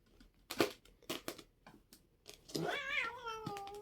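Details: Indoor pet cat named Çaki while two cats squabble, several sharp knocks and taps first, then one drawn-out wavering meow sliding downward at the end.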